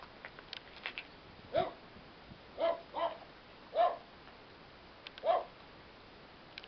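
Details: German Shepherd cross named Pirri, a shelter dog awaiting adoption at the Protectora de Animales de Roquetas de Mar in Almería, Spain, gives five short, mid-pitched barks spaced irregularly over several seconds against a low background hiss.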